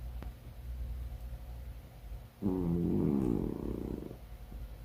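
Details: A cat's snore rises out of quiet low background hum as a single loud, buzzy, vibrating breath with a steady pitch. It lasts nearly two seconds, then fades.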